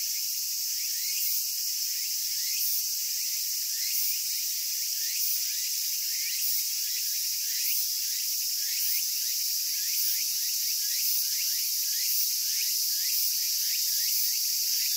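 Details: Cicadas singing in Japan: a dense, steady high-pitched buzzing drone that never breaks, with fainter rapid chirps repeating underneath about three times a second.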